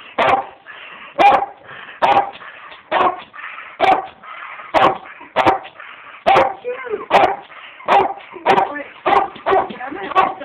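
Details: Border Collie dog barking while stuck with its body inside a bird seed bag as pictures are taken; short, sharp barks repeated about once a second through the clip, with quieter voices between them.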